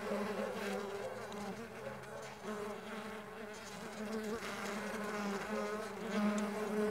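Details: Flying Mandaçaia stingless bees give a continuous layered droning buzz, several overlapping tones wavering in pitch, loudness rising and dipping gently.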